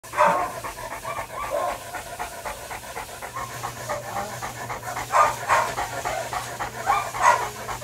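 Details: St. Bernard dog at the groomer for cleaning, panting rapidly and rhythmically, about three breaths per second, with a few louder, breathier pants toward the end.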